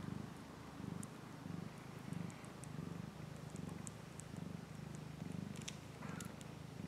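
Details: Steady rumbling purr of a cat, low buzzing throbs following each breath in a regular pattern, accompanied by occasional soft clicks and a brief rustle near the end.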